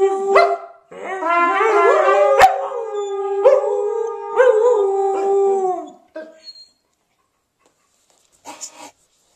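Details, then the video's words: Howling Samoyeds join in with 'Happy Birthday', layered drawn-out tones swelling then fading after about six seconds, followed by near silence and a brief faint sound near the end. "Samoyeds Howl Along to 'Happy Birthday'"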